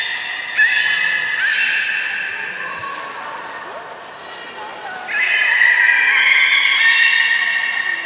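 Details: Captive beluga playing after feeding at Port of Nagoya Public Aquarium, January 27, 2019; bright harmonic whistles rise and hold, fading mid-way before a louder run of sustained squeals returns.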